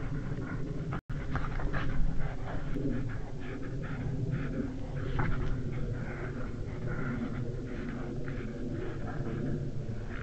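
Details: European badgers in Estonia fight over a sett on a March 2016 evening, around 8 pm; harsh growls and grating chatters follow one another almost continuously, with scattered sharper squeals, over a constant low-frequency rumble.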